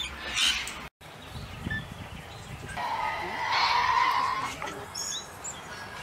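Tasmanian devil giving harsh, raspy growls: a brief rough burst, then a longer grating screech that holds for about two seconds before breaking off.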